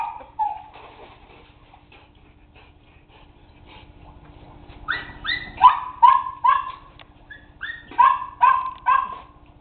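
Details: A faint whine opens a quiet stretch. Then a dog bursts into rapid, high-pitched excited yips and whines, about two a second, in short clustered bouts.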